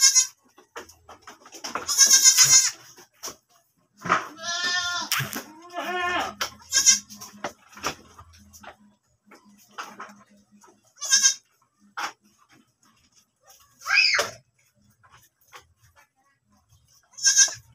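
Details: Domestic goat at a farm where it has just given birth again, bleating repeatedly: loud, wavering, nasal bleats with strong harmonics, some rising and falling, spaced a few seconds apart, with quieter rustling and short clicks between calls.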